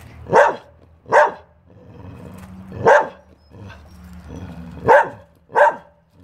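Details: A dog barks six times in uneven pairs, two quick barks, one lone bark, then two more, with quieter low murmuring between them.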